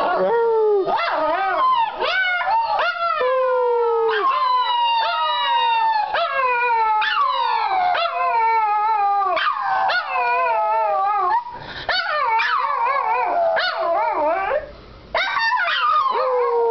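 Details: Two Shih Tzus howl together in wavering, sliding tones that rise and fall in overlapping phrases, singing after being prompted by people. Shih Tzu.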